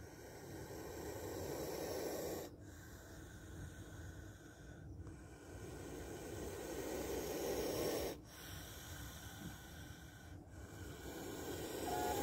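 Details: Repeated breathy hissing from a spectacled cobra, several long rasping exhalations broken by brief silent gaps, over faint low background noise.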